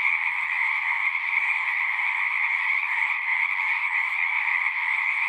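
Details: Frogs singing together in a dense, unbroken chorus: countless overlapping trilled croaks merge into a steady, mid-to-high pitched wall of sound with no pauses and no other noises.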